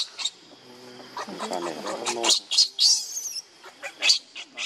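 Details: Baby monkey Lucie crying for milk that her mother will not allow; low harmonic moans give way to a run of shrill, high squeals in short bursts, with faint chirps behind.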